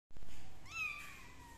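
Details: Kitten being treated for fungus with leaf juice gives a single drawn-out meow that rises briefly and then slides slowly downward, fading out, after an opening burst of low handling noise.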